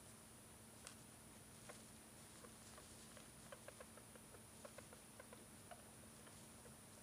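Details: Hamster kept as a pet, suddenly producing odd sounds while behaving normally; quiet sharp ticking clicks, irregular at first, then clustered between the third and sixth seconds, over a constant faint hum.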